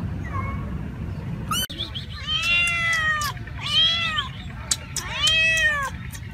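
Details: Cat meowing loudly: after a sharp click, three long, drawn-out, rich meows that rise and fall, each lasting almost a second, over steady low background noise.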